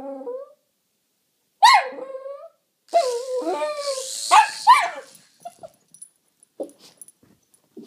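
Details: Excited pet Jack Russell Terrier reacting to a toy helicopter: short whines, then a run of strained yapping barks over the toy's whirring buzz, fading into small clicks and shuffles.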